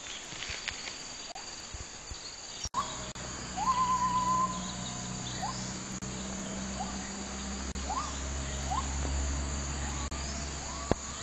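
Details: Rainforest gibbon howl: short rising whoops, then one drawn-out steady hoot, then more upswept notes, all over constant insect drone and a low hum.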